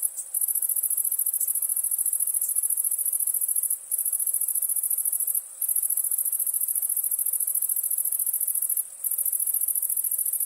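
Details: Crickets at nighttime keep up a piercing, rapid pulsed trill high in pitch, broken by a few brief gaps spaced several seconds apart, against an otherwise quiet background.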